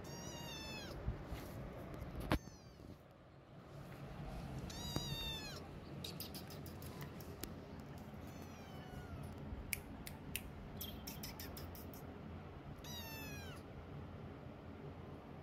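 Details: Domestic kittens with their mother cat during weaning, demanding milk: repeated high, thin mews that rise and fall in pitch, several in close succession across the recording, with scattered clicking and tapping sounds between calls.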